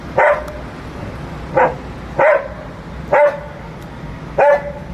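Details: Playful Labrador Retriever pet barking as it is coaxed to catch and jump; five short, punchy barks spaced unevenly over a few seconds, mid-pitched, quiet room background.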